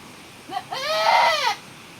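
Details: Single goat bleat around a kidding in the rainy season: a brief faint squeak, then one loud, rising-then-falling, tremulous bleat lasting under a second, over a quiet background.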